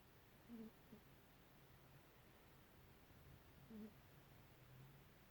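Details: A house cat sound asleep, snoring softly: two short low nasal snorts about three seconds apart in a quiet room.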